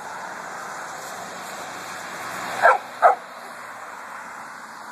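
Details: A dog on a hot-day cemetery walk in August lets out two short barks, about half a second apart, after a few seconds of quiet background hiss.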